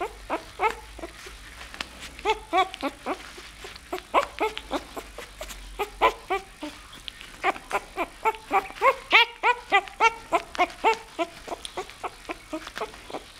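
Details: Nine-day-old bull terrier puppy named Firefighter Zippo: rapid, dense series of short squeaky yelps and whines, several per second, some pitch-bent and rising, a brief broadband rustle near the middle, continuing steadily to the end.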